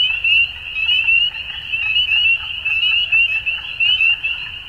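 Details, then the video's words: Frogs calling at dusk in spring in Ontario, Canada: a dense, steady high-pitched chorus of overlapping peeping notes forming a continuous trill, with pulses swelling and fading roughly once a second. "Frog Sounds At Dusk"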